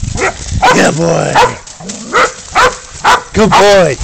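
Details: Dog bays up a goat in a catch-and-release catch; a series of quavering, bending howls and sharp yelps repeat roughly every half second, with a man's voice and movement noise underneath.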